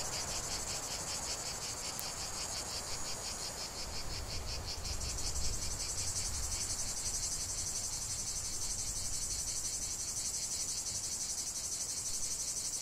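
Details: Lavender-field cicadas keep up a loud, high continuous buzz, pulsing rhythmically in the first half and smoothing into a steadier whine later, with a faint click near the start and low rumble.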